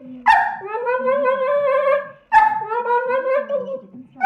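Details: A Staffordshire Bull Terrier begging for leftovers after dinner makes strange noises: two long, drawn-out, tonal whining moans, each about two seconds, slowly wavering upward, with a television-like murmur behind.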